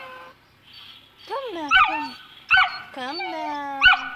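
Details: Two-month-old Saint Bernard puppy, afraid to go down stairs, gives several high arching whines, each rising then falling, with a short clipped yelp between them; a person's coaxing voice murmurs in the background.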